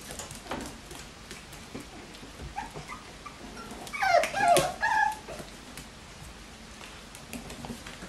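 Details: Bichon Frisé puppies from the O and P litters at a Danish kennel; after quiet rustling, a short run of high, wavering whimpers and squeals rises and falls over about a second, then fades back to soft background shuffling.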